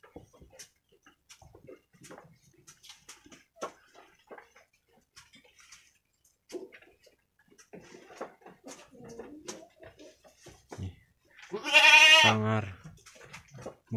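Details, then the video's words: Two brown Jawarandu goat kids, about one week old, playing together in their pen on 6 November 2021; soft scattered clicks and taps, then one loud, quavering, harmonic bleat near the end. "ANAK KAMBING LUCU"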